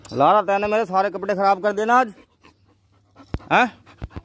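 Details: A chained pit bull, whose owner says being kept tied up with no one around makes it aggressive, gives a long, wavering, moaning whine, then a brief rising yelp, with a few clicks.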